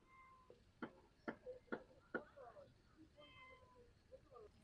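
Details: Cat that is scared and hesitant to come closer, among taro and banana plants, giving a few soft, thin meows between four loud thumps, with a man speaking nearby.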